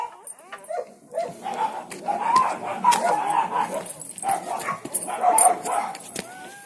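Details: Newborn village dog puppies, one of a litter of four just born to a village mother dog, give high, thin whining squeals that run almost continuously, ending in a short rising squeak.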